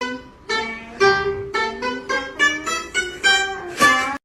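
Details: Bright plucked ukulele or guitar melody with rhythmic strums, with no animal sounds.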